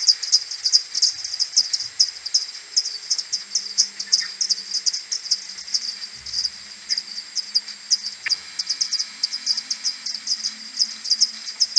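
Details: Common pipistrelles of a maternity colony returning to their roost on a 21 May morning, recorded on an AudioMoth 1.1 and slowed ten times: a long, dense train of short chirps from many overlapping bats, with a faint low hum in the background.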